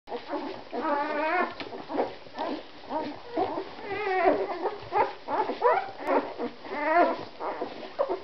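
Week-old Siberian Husky puppies whimper and squeal in overlapping, wavering high cries.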